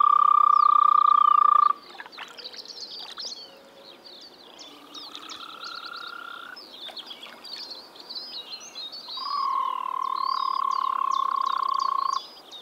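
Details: Spring frog chorus from the Czech Republic: three long, rapidly pulsed, even-pitched trills at the start, middle and end, separated by pauses filled with many twittering birds.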